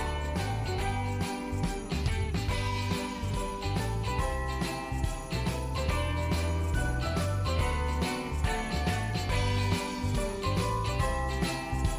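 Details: Upbeat Christmas music with steady jingle bells and layered instruments, with no animal voice anywhere.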